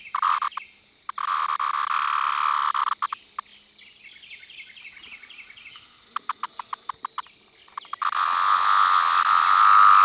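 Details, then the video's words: Up-close 17-year cicada of a larger, yellow-brown striped variant: loud whine in short stretches at the start, a quieter middle with faint chirps and clicks, then the steady droning whine returns, swelling louder at the end. "17 year cicada making different sound"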